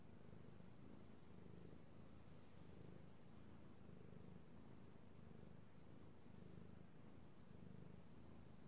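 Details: Domestic cat, a male, purring contentedly as he is petted, recorded 16 March 2018; low, buzzy, even rumble pulsing in gentle waves about once a second, otherwise quiet room background.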